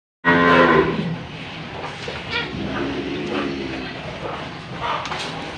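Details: An old, tough cow has a nose rope fitted and gives a short, loud harmonic moo at the start. After it comes a longer stretch of rustling and handling noise with faint voices.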